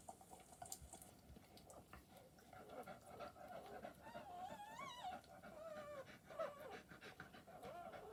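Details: Newborn wire-haired dachshund puppies from a freshly born litter of eleven squeal in thin, wavering, high whimpers that rise and dip. The cries cluster in the second half, several in quick succession, over steady soft rustling and shuffling.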